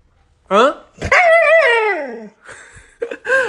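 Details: Siberian Husky trading vocal back-and-forth with its owner: a short yip, then a long wavering howl-like call sliding downward, followed by brief further vocal sounds.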